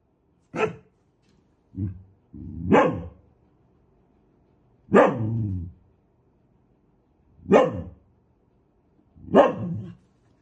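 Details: Irregularly spaced, gruff barks from an aggressive dog, six sharp reports over ten seconds, some drawn out into a short growling rasp, with silence in between.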